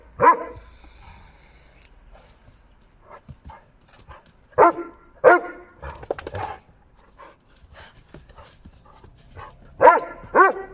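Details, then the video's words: A nine-year-old male Doberman wanting to play barks in short sharp bursts: one bark, then a pair about four seconds later, another pair near the end, with soft scuffling and quiet huffs between. "9 years male Doberman wants to play"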